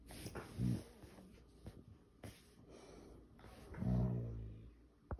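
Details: Male Siberian Husky at home at night, grumbling in protest after the petting stops. Low, moaning rumbles, one short near the start and a longer swelling one near the end, over steady background room noise and faint handling sounds.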